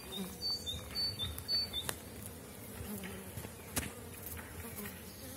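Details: Honey bees from small-cell 4.9 colonies at an apiary in April, the season's start as dandelion blooms and supers go on. A steady low droning hum runs throughout, with brief higher whines and soft clicks.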